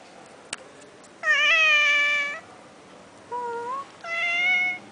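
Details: A cat at a resort in Langkawi gives three clear meows: a long, slightly rising one, a short, higher one, and another drawn-out one. There is a single sharp click beforehand, and the room is otherwise quiet.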